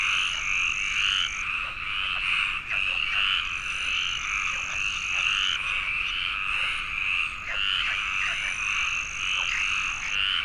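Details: Frogs chorusing at a pond in the Landes forest of Aquitaine, France, during a search for the protected Iberian tree frog: loud overlapping rasping croaks without break, accompanied by long thin high-pitched tones and occasional soft knocks.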